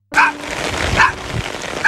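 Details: Rain-soaked stray mother dog protecting her puppies on a rainy day, barking at people approaching to help; three sharp barks about three-quarters of a second apart over steady rain noise.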